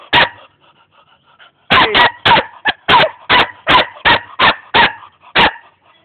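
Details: Young German Shepherd dog in Jamaica: one bark, a pause of over a second, then a steady run of about ten loud, harsh barks roughly every third of a second, ending with a single bark.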